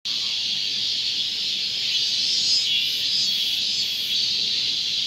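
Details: A robust cicada (minminzemi) at Gongenyama Bird Sanctuary, filmed 30 August 2020, sings a loud, steady, high buzzing drone that fills the whole clip.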